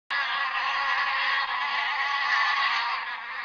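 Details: Steady bee buzzing, a dense continuous drone that holds at an even loudness for about three seconds with no pauses.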